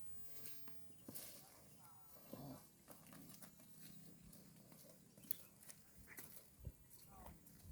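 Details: A herd of cows grazing on green grass at the roadside, with soft repeated crunching and tearing of grass and a low background murmur.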